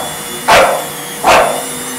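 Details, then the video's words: English Bulldog named Thadeus attacking a vacuum cleaner, as he does every time it comes out, indoors; two loud, sharp barks about three quarters of a second apart over a steady motor hum. "English Bulldog Attacks vacuum cleaner!"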